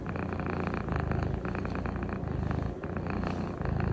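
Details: Close, continuous purring from a Norwegian Forest Cat: a deep, throbbing rumble that swells and eases with each breath, several cycles packed into four seconds, with no other sounds over it.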